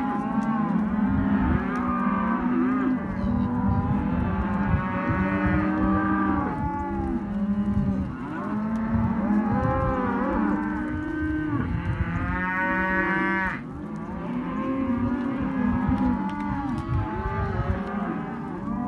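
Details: Group of Hereford and white-faced calves in a sale pen keep up a dense chorus of overlapping moos, some bending up and down in pitch, one higher bawl standing out briefly midway, over steady low-pitched background noise.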